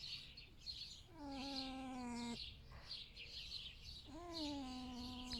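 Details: In the morning, a pet male red fox rescued from a fur farm gives two drawn-out, tonal whines while lying in bed, each whine dipping slightly and then holding steady.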